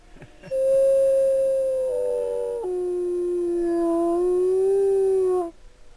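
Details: A female wolf at a wolf sanctuary gives one long, smooth howl that starts high, steps down, then lifts slightly before ending.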